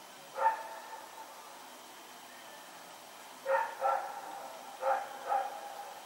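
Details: Night barking from Rex, a dog running around in the dark on September 21, 2018; one bark, a pause of about three seconds, then two pairs of clipped barks in quick succession over faint hum.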